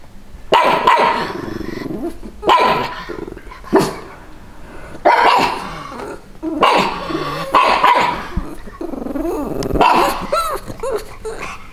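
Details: Two pug dogs dressed in Santa costumes barking to defend their territory against bleating sheep; short gruff barks come in bursts about every one to two seconds, with some growling between them.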